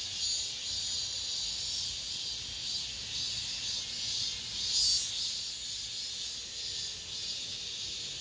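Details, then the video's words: Cicadas in an apartment complex singing the season's last song: a bright, high, hissing chorus, briefly louder midway, then slowly fading. "올 여름 마지막 매미소리"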